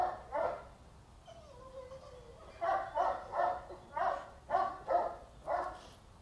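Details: Two-and-a-half-year-old female Boxer, brought in for training because of unrestrained behaviour; two barks, a drawn-out descending whine, then a steady string of seven evenly spaced barks, roughly one every half second.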